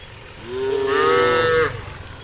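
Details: In the afternoon, one of dozens of tame cows walking as a herd toward a watery grassland gives a single drawn-out moo that rises slightly and holds steady before cutting off.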